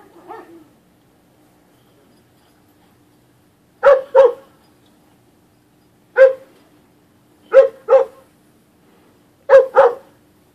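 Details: Playing dogs at Pet Angels bark in short bursts: a soft yip, then paired loud barks, a single bark and two more doubled barks spaced a couple of seconds apart, against near-silence and a faint hum.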